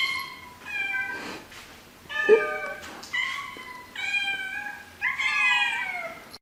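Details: Domestic cat meowing indoors: a series of drawn-out, harmonic meows, some rising then falling, spaced a second or so apart, with quiet room noise between calls.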